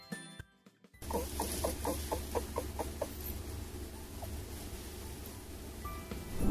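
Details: Scared domestic rabbit whimpering, a snorting squeak showing it needs space, as when picked up against its will: a quick run of about eight short, even squeaks over two seconds, then quieter scattered sounds on a low background hum.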